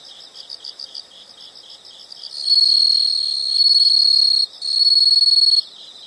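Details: Insect sound with soft, quickly pulsed high chirps that give way to a loud, continuous, shrill trill held for about two seconds. It breaks off briefly, resumes for another second, then drops back to faint chirping.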